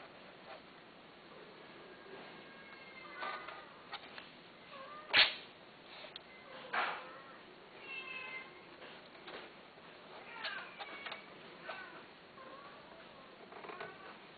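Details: Cats offered for sale give repeated rising-and-falling meows, several overlapping at irregular intervals, with a sharp knock near the middle and a soft room hiss underneath.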